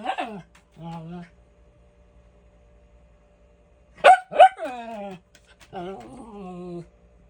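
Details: Miniature Schnauzer barking indoors for no apparent reason: two sharp, loud barks in quick succession mid-clip, with a person talking softly before and after in a small room.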